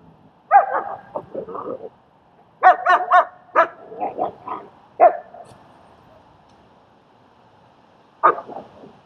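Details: Dog training session in Queens, New York, where a German Shepherd helps socialize a scared dog: bursts of rough, irregular barking, some yelpy, in clusters, then a pause of about three seconds before one final bark.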